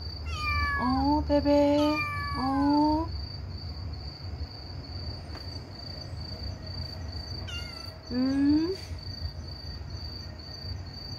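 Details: Motherless kitten crying to people all night: loud, wavering meows that rise then fall, two close together, then a pause and two more, over a steady high-pitched whine and faint low rumble.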